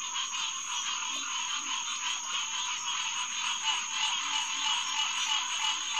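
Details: Green tree frog chorus (Hyla cinerea) recorded at night, June 2, 2021, at the SMNWR Headquarters Pond near Lighthouse Road; steady overlapping nasal calls form a dense drone, with faint low croaking notes of another frog below.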